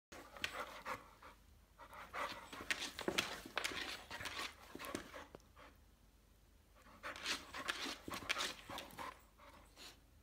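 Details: Saint Bernard dog, fully awake, lying and making swimming motions: rapid breathy panting in bursts of about two per second, with a quiet pause in the middle, indoors.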